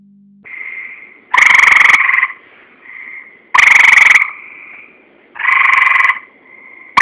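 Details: Tree frog calling in loud bursts of buzzy, rasping croaks about half a second to a second long, separated by softer sustained tones, repeating several times.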